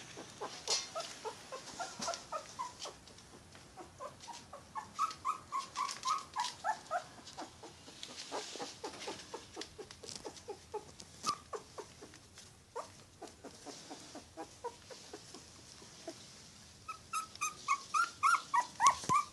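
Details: Yorkshire Terrier puppy crying: thin, high whimpering notes that bend up and down, coming in uneven bursts, softer and scattered through the middle, then a louder, quicker run of cries near the end.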